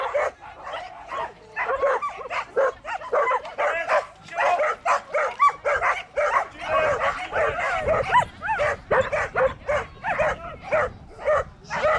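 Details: Border collie yapping nonstop, close to two barks a second: high, sharp yips and squeaky yelps in irregular bursts, some notes sliding up then down, with no other sounds standing out.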